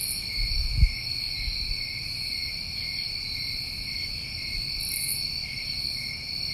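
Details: New England summertime crickets keeping up a continuous shrill chorus of stacked high tones, with one soft thump near the start and a brief higher rasp around the fifth second.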